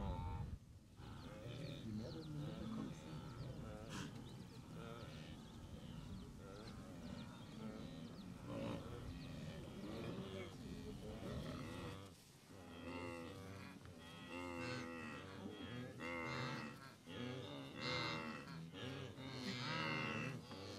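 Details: Massed blue wildebeest of the Great Migration near the Moru Kopjes in the western Serengeti, April 2012, with overlapping nasal honking grunts from many animals, densest in the second half, above a steady low hum.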